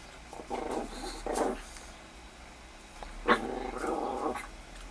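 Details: Miniature Pinscher named Foxy meeting Bella the rabbit, producing several rumbling growls in bursts, the last one longer after a sharp yip, against a quiet indoor background.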